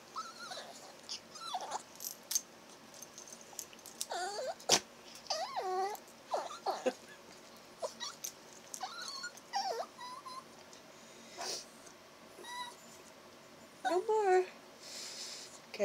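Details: Chihuahua puppy 'talking' indoors as its ears are warmed by blowing, producing repeated wavering whines, squeaky yips and bent moaning notes in short bursts throughout, with a woman talking gently to it.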